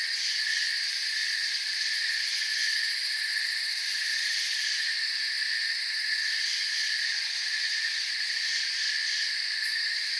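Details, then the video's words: Many crickets trill together in a forest, giving a constant bright, hissing wall of high chirps with slight swells in intensity near the middle and end. "Forest Sounds and Crickets"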